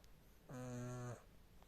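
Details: A single drawn-out snore from the sleeping cat Tina, a steady buzzy rasp lasting just over half a second, rich in stacked harmonics, in a quiet room.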